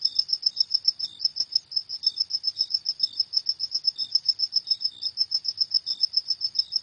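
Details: High, metallic cricket chirps at night, each pulse distinct and repeated about three to four times per second, with sporadic fainter lower notes in between.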